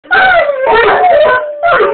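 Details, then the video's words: Male English Mastiff howling indoors, set off by dogs howling outside, with a rottweiler also howling behind him: loud, wavering, sliding howls in two bursts, voices overlapping in a dense chorus. "English Mastiff Howling"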